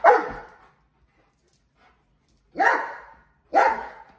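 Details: Mastiff barking during play with balloons: three loud single barks, the first alone and the last two one second apart, each harsh and falling away.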